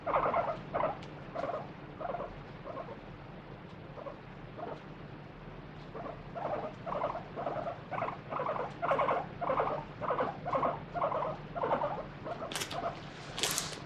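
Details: Free-roaming pet guinea pig screaming while its paws and body are wiped with a wet tissue during a body check; a long run of short squeals repeats about twice per second, rising in intensity, with brief rustling bursts near the end.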